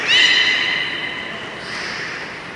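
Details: Captive beluga during public training at Port of Nagoya Public Aquarium, afternoon session of 24 March 2018: one short, loud, harmonic-rich tonal call that holds level and fades, with crowd hubbub behind.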